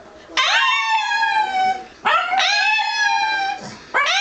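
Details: A pet dog howling along with its owner: three long howls, each starting with a sharp rise then sliding down into a steady drawn-out tone lasting over a second, separated by short pauses.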